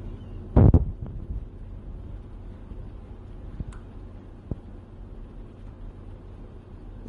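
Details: Steady low engine-like rumble throughout, with a loud thump near the start and a few faint scattered clicks.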